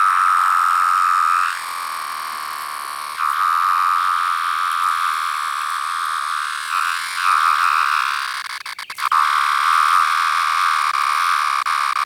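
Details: A single 17-year periodical cicada gives a steady, droning whine that swells and fades in pulsing waves; it is a larger variant with yellow-brown striping under the abdomen.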